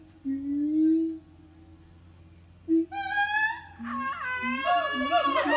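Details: Siamang family singing in the morning at an eco-tourism organic farm: a held low tone, then loud rising whoops climbing steeply in pitch, followed by overlapping wavering, modulated calls over a steady low hum.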